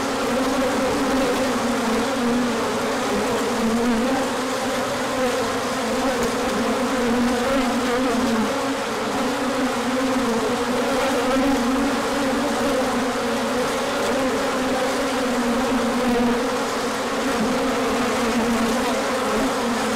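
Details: Bees swarming out in a large orientation flight on 24 March 2024, emerging when the sun came out after colder days; a dense, steady buzzing hum with two wavering bands, one low and one higher, many wings overlapping without pause.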